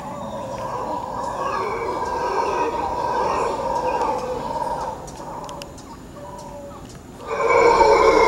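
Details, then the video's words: Howler monkeys in Quepos, Costa Rica: a droning, roaring chorus swells for about five seconds, fades to a low murmur, then surges back loud and rough near the end, with faint clicks in the background. "Costa Rica Howler Monkeys, Quepos, Costa Rica"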